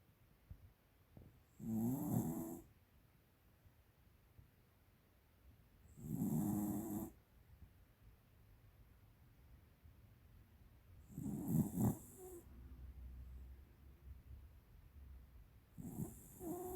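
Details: Pet American Cocker Spaniel Tiara, a female aged 13, asleep and snoring loudly: four rough, rumbling, rasping snores spaced roughly every four to five seconds, each with a breathy hiss, soft breathing in the pauses.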